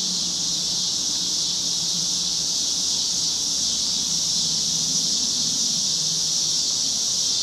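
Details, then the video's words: Cicadas in chorus along a Chicago street on a cloudy August evening in 2010, a steady unbroken high-pitched buzzing drone that holds level throughout, with a faint low traffic hum underneath. "Chicago Summer 2010 Cicadas - Evening"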